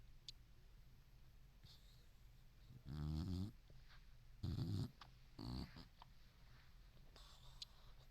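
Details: Dreaming senior boxer fast asleep: three loud, throaty snores with a buzzy rattling tone, each about half a second long and spaced a second or so apart, against a quiet indoor hum.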